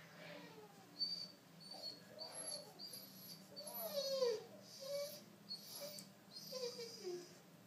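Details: Pet Rottweiler, male, crying indoors when he hears a baby cry in the room: a run of thin, high whines, each sliding downward, several in a row over a few seconds, against a quiet room background.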